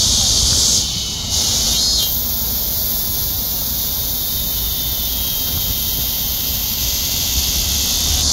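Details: Korean cicadas sing a loud, steady, high-pitched buzzing drone that holds without a break.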